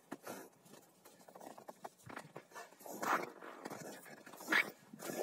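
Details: Two Rottweilers, Malysh and Sam, wrestling in a game of king of the hill, give rough, noisy growls and snarling bursts, irregular and short, with louder peaks near the end. A person's voice is faintly heard.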